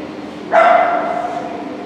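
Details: Shetland Sheepdog Katrilons Scooby Doo at an Obedience-1 competition, Saint Petersburg Cup, 11 February 2018: one sharp bark that rings on as a sustained tone and fades over about a second, over steady indoor hum.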